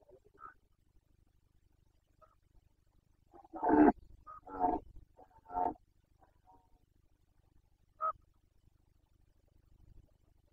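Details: Carpathian stag during the 2021 rut in Bucovina. Three strong, rough roars follow one another in close succession, each lasting under a second, and a short higher call comes afterward. Faint low rumble lies beneath.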